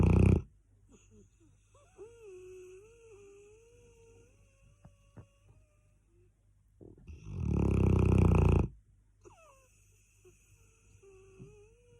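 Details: Cane Corso snoring loudly indoors: a thin nasal whistle wavers through quiet breathing, then a harsh, rumbling snore swells for about two seconds before easing back to soft whistled breaths.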